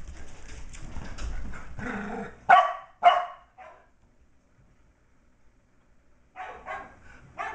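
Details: Sheltie puppy MacTavish, almost six weeks old, chasing and playing with older dog Sasha inside a house: two loud, quick barks in close succession after a stretch of a woman's voice, then quiet, then faint scuffling and yips.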